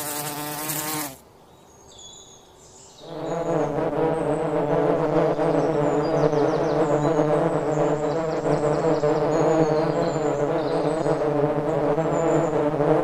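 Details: Bees in a forest, busy making honey. A loud buzz opens, drops to near silence for two seconds, then a dense, continuous droning hum with rich overtones carries on steadily to the end, with faint high chirps above.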